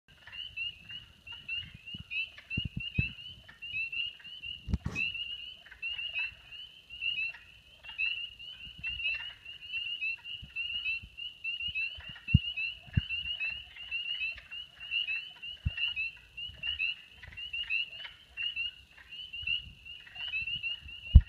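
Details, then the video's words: A dense chorus of spring peepers, with wood frogs also present: countless high shrill peeps blend into one steady ringing wall of sound. "Spring Peepers and Wood Frogs"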